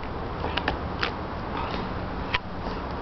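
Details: Steady low indoor hum with a few short creaks and sharp clicks, and no animal voice.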